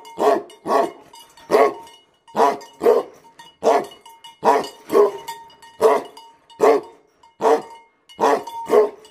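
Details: Angry Tibetan Mastiff dogs (BhoteKukur) give loud, rough barks, often in quick pairs, a dozen or so over nine seconds; a thin constant hum runs in the background.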